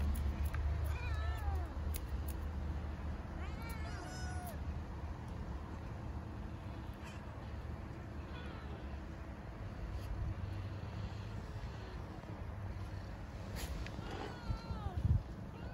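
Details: Starving stray kittens living on the street in Istanbul meow for food and affection; several short rising-falling mews at moderate pitch, clustered near the start and again late, over steady low traffic rumble.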